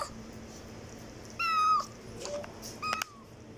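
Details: House cat meowing so loudly: a clear, slightly falling meow lasting under half a second, a soft low squeak, then a shorter bright meow, with quiet background hum between.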